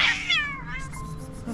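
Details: Rescued sick stray Scottish Fold cat making a short falling meow that fades quickly into quiet, with faint soft background noise.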